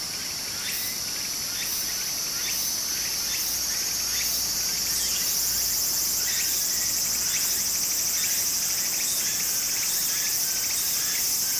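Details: Loud summer cicada chorus beside a flowing stream in Japan: dense high-pitched ringing drone overlaid by rapid rhythmic buzzy pulses, roughly three per second, with a soft water murmur underneath.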